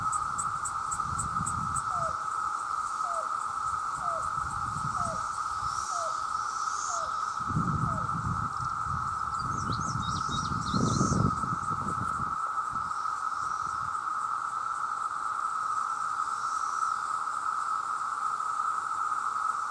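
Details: Mating chorus of millions of male cicadas, a loud, constant buzzing drone that never pauses. A bird gives a row of short downslurred whistles early on, with scattered high twitters and some low rumbling thuds in the middle.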